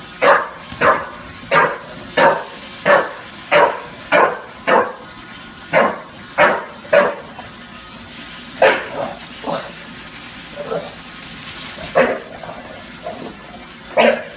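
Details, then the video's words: A bulldog named Junior in NYC barking at a Roomba: sharp, short barks repeated rapidly, about one and a half per second, in steady runs, then sparser barks toward the end. "Junior vs Roomba"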